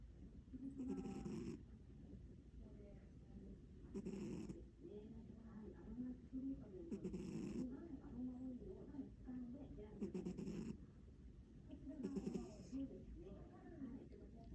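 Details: A sleepy American Shorthair cat snoring; soft, low, rough breaths roughly every two to three seconds, each with a brief hiss of air, under a steady faint background hum.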